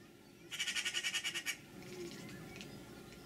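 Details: Bella, a one-year-old cat, chirping at a magpie perched on the window sill above her, just beyond leaping reach. A rapid burst of about ten sharp, clicky chirps fills one second, then faint, softer sounds trail off.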